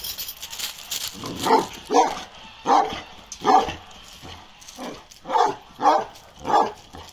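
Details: Balyoz, a 15-month-old male karakırçıl Kangal dog, barks in a steady series, about eight deep, full barks spaced under a second apart, with faint background noise between them.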